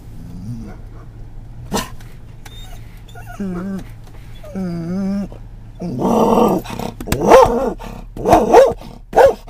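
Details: Scottish Terrier reacting to stimuli during an October 2010 car ride: two short nasal whines, then a burst of rough barks and sharp yips in quick succession, with a low vehicle hum underneath.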